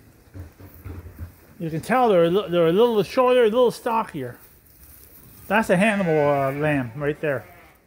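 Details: Sheep at Ewetopia Farms waiting for their feed during daily chores in lambing season: two long, quavering bleats with a wobbling, tremulous pitch, each lasting about two seconds with a pause between, over quiet farmyard background.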